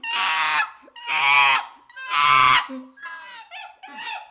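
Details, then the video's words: Young chimpanzee screaming: three long, loud, harsh wails each lasting about half a second, followed by shorter, broken squealing cries and a soft low grunt between them. "Baby Chimpanzee Sound"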